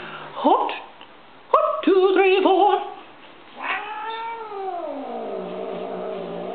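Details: Female pet cat Stinky turning upset at a disliked chanted military cadence: a short rising yowl, then a chanted phrase, then a long sliding wail that falls and fades.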